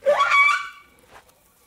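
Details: Domestic cat giving a single meow of about half a second. It starts low, rises quickly and then holds a level, harmonic-rich tone before fading. A faint short second sound follows, with near silence after.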